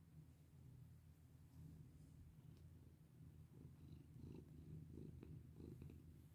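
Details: Purring domestic cat being petted; low, even rumble that grows a little louder in the second half, with light clicks and rustles of touch over it.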